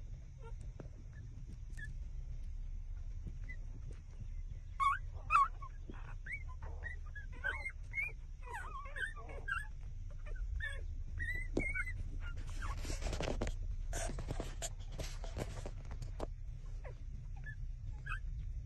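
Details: Six-day-old puppies suckling at their mother, giving short high whimpers and squeaks in scattered bursts, some rising and falling, over a steady low hum, with a stretch of rustling noise midway.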